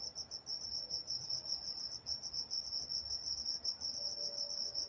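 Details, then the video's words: Crickets at night in Walnut, California, chirping in a fast, even pulse train on one high pitch, about two pulses a second in the loudness, over a soft low hum. "Nature Sounds Night Time Crickets in Walnut, California"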